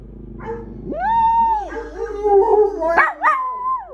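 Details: Pet dogs in a group break into howling: a rising, drawn-out wail joined by lower overlapping voices, ending in sharp upward-sliding yelps.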